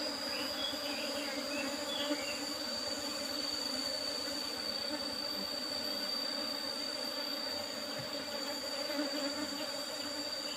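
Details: Asian honey bees (Apis cerana) disturbed during honey harvesting from an old box hive with a used asbestos top; thick, even buzzing hum throughout, a constant high whine and occasional faint chirps.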